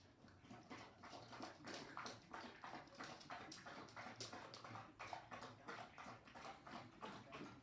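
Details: A 10-month-old male Labrador/Shepherd mix, young and nervous on first meeting a trainer and suffering separation anxiety from his owner, laps water in quick wet splashes, about one or two strokes every second; drinking described as normal behaviour.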